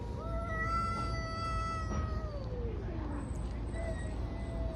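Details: Two street cats in a fight: a sustained, strained yowl held for about three seconds before gliding downward, followed by a quieter second wail, with low rumbling background noise.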